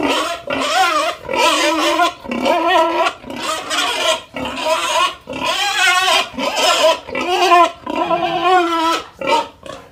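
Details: Pig crying in long, loud, wavering squeals that run almost unbroken, each lasting about a second, with brief breaths between them.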